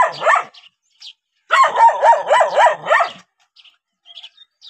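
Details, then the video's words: Dog on seeing a stranger lets out a short bark, then a fast run of about six rhythmic barks, followed by faint scattered high sounds. "How Dogs React When Seeing Stranger 11 - Running, Barking?"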